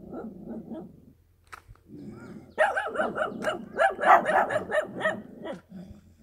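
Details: Dog recorded in the countryside barking in a rapid burst of harsh, repeated barks, preceded by softer grumbling sounds and a short pause.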